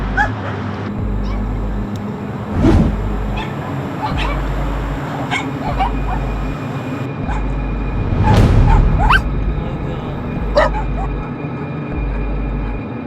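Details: Dogs confined on a dog farm, many with skin disease and some with broken jaws, give a few sharp barks that burst out over a steady low rumble of background noise.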